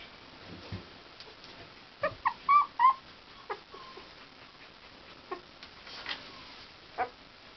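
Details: Akita puppies give a quick cluster of high, thin whimpering yelps around two to three seconds in, then a few scattered softer squeaks, over faint steady background hiss.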